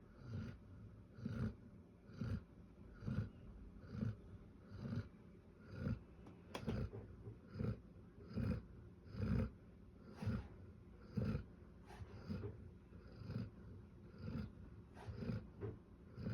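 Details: Lola, a Bernese Mountain Dog, snoring loudly: low, rumbling snorts repeated about once a second in a steady rhythm, soft and breathy between each pulse, with a quiet background hiss.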